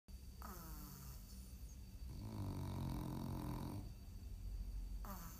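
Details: A French bulldog asleep during nap time snores in one long, rough, low rumbling breath lasting about two seconds. Quieter breathing sounds come before and after it in an indoor room.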